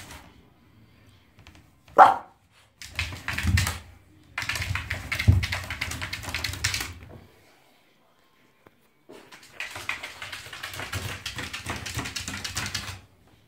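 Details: French Bulldog named Pepsi playing wildly in a bathtub indoors; one sharp bark early on, followed by long bursts of noisy scrabbling and thrashing in a small echoing room, with quiet gaps between.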